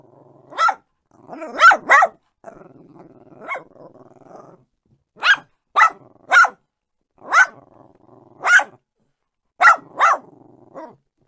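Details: Dog barking in short sharp bursts, single and paired barks spaced about a second apart, with a low growl-like hum between some barks and silent gaps.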